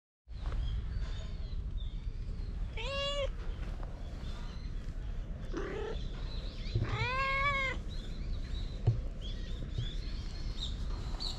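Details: Stray cat outdoors, dashing up to the person filming and asking for affection, recorded on a GoPro; two clear, short, tonal meows several seconds apart over steady low rumbling background noise.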